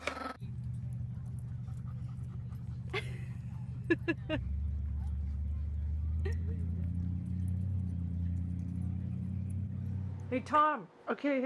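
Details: Angry dog growling: a low, steady rumble held for about ten seconds, dropping slightly in pitch partway through, with a few short human words and clicks over it and a higher voice at the close.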